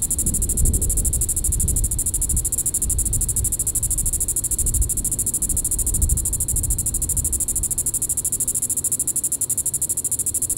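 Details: Evening call of a Diceroprocta vitripennis cicada, Sand Hills State Park, Reno County, Kansas, July 20, 2014. A continuous high, finely pulsed buzz runs throughout, partly masked by strong low rumbling noise.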